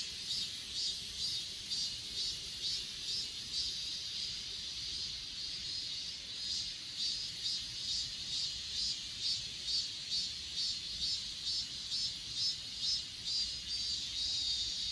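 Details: Grass insects on Achasan mountain, filmed with an S20 Ultra phone: a steady chorus of high chirps pulsing a little over twice per second over a constant, shrill, ringing drone, with a faint low rumble beneath and no other clear sounds.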